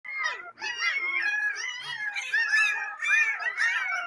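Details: Twenty-day-old Chippiparai puppies whine and yelp together in high, wavering, overlapping cries.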